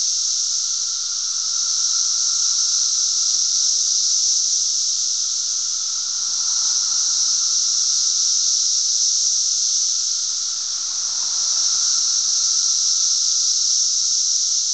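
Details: Cicadas calling in great numbers at Glen Ellyn, Illinois, on June 10, 2007; an intense continuous high hissing drone that dips and swells gently in volume, with a faint lower whine throughout.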